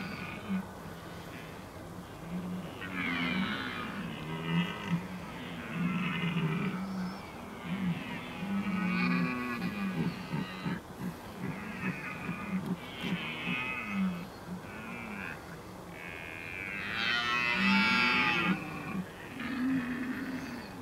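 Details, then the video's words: Red deer during the rut in the Oostvaardersplassen on 15 October 2011: deep, drawn-out groaning bellows from several stags overlap almost continuously, rising and falling in long pulses, with a louder surge near the end. "Bronst in de Oostvaardersplassen"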